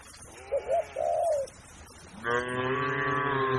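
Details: Grazing cattle in a large tame herd on grassland; after a few short warbling calls from another animal, a single steady, deep moo starts and holds to the end.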